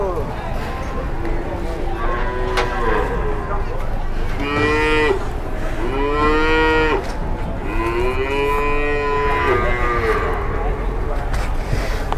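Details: Jumbo cow pushed by three people while being loaded, giving a run of loud, long moos that rise and fall, several in quick succession, over low engine noise.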